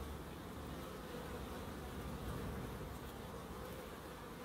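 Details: Bees in a small wildlife garden at an end-terrace house in Crookes, giving a steady, low, continuous droning hum without breaks.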